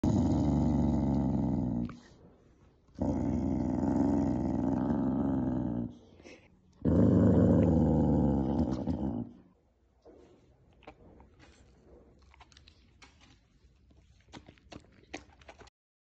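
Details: Corgi. A Corgi growls low and steadily to guard its food bowl, three long rumbling bursts with brief pauses between. Afterward the growling stops and only faint clicks and taps remain.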